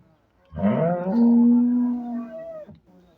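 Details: A Sahiwal-Jersey cross cow gives a single long moo of about two seconds. It has a rough start, holds a steady low tone, then cuts off sharply. The background is quiet.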